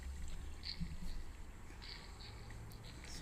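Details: Low rumbling water and engine-like noise with faint trickling, and no clear animal calls. A few brief high chirps stand out but are too faint and short to name.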